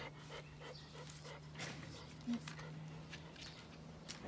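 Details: Komugi, a female Mame Shiba born 5 June 2015, brushed during her shedding season; soft rhythmic panting breaths come about twice a second over a steady low hum, with a person talking nearby.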